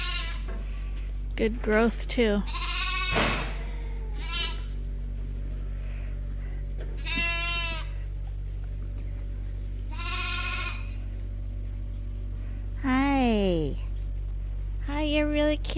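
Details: At Ewetopia Farms, lambs still on their mothers but topped up by bottle give scattered bleats, some short, one sliding downward, with long pauses. A loud low hum runs throughout.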